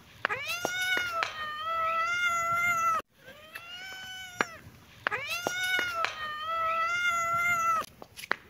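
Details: Kitten and cat playing, happy mood: loud, long meows follow one another closely, each lasting a couple of seconds with a quick rising start and a level, ringing tail, plus a few sharp clicks between calls.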